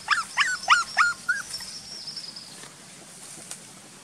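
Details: Frightened village dog giving five sharp, high yelps in quick succession, then falling quiet against a steady outdoor hiss.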